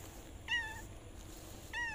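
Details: Tomcat seeking a female; two short, clear descending meows about a second apart, with faint background hiss.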